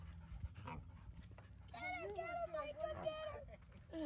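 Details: At a dog park, 5-month-old puppy Denali plays with 7-month-old Micha. A drawn-out, wavering high whine with rich overtones lasts nearly two seconds, followed by a short rising whimper. Low rumbling background noise accompanies it.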